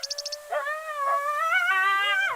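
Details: Coyotes on a summer night in the Ozarks, Missouri, give about five quick, high yips, then a long wavering howl that slides upward, with a second lower voice joining near the end; family groups call together, year-round.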